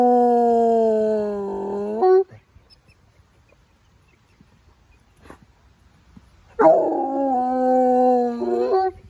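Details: Coonhound, a hunting dog, howling after picking up a scent on a walk: a long sustained harmonic howl of about two seconds, then a pause, then a second drawn-out howl that wavers and drops at its end.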